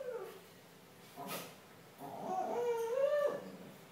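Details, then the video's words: A male comfort retriever randomly "sings" at home: a drawn-out, wavering howl that climbs and holds in a sing-song tone. "Singing dog"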